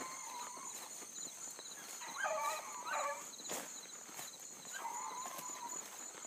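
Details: A pack of blueticks trailing a big running rabbit at dawn on 7-22-12, the chase circling a couple of times. Distant, quavering bays come in short bursts from more than one hound over a constant shrill insect hum.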